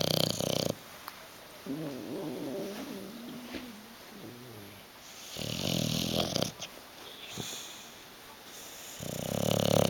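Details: Sleeping bulldog Hugo, dozing on a sofa and refusing to move, lets out rough snorting breaths at the start, middle and end, while a soft wavering voice-like murmur fills the quieter stretch between them indoors.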